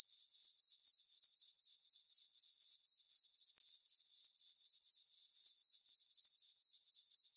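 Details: On a calm summer night in a meadow on a farm under a full moon, crickets chirp in a high, tinkling, evenly pulsed trill of about four beats a second, steady throughout.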